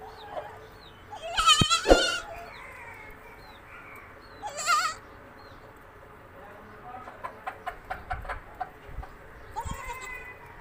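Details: Kamori goats, Sindhi goats from Pakistan kept on a farm, bleating in loud wavering harmonic bursts near two seconds and again near five seconds, with quick clicking pulses later and faint bird chirps behind.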